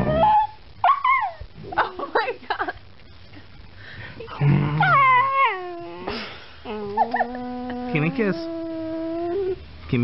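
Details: German Shepherd dog giving drawn-out, wavering howling whines with rising and falling pitch, mostly in the second half, while a person talks in Spanish and English, repeatedly asking for a kiss.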